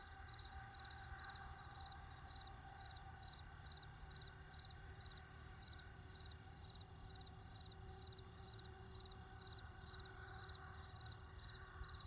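Crickets chirp in steady, high, rapid pulses over a low, continuous rumble of distant traffic.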